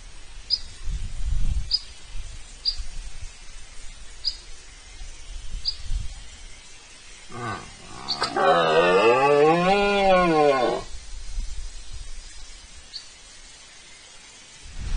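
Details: Red deer bellowing in front of a camera during the rut at the Tinajilla pool in Spain, 19-09-24: short low grunts, then one long harmonic roar of about three seconds with arched, wavering bands, while a thin high chirp repeats roughly once a second.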